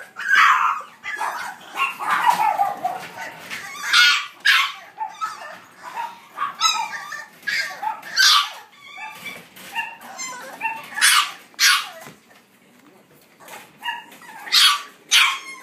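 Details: Sturdy female French Bulldog puppy, born 14 July, letting out a long run of irregular yips, whines and small barks, some bursts close together and others spaced by short silences.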